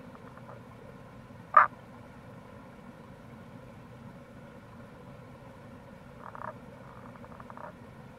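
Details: Rana tagoi near a gorge, Kamo River in Itoshima, Fukuoka, recorded in April: one sharp, clicking note, then a soft run of quick pulsed croaks several seconds later, against constant low rushing noise.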